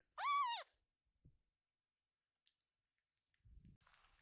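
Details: Ama, a rescued kitten calling its scattered siblings to gather, gives one loud arching meow that rises and falls. Quiet follows, broken by light ticks and rustling.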